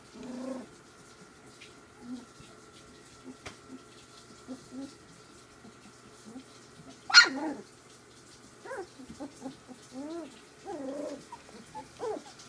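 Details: Play among Ziva's three-week-old pups: scattered soft grumbles and whines, then one sharp loud yelp-bark near the middle, followed by a run of rising whimpers and small growls.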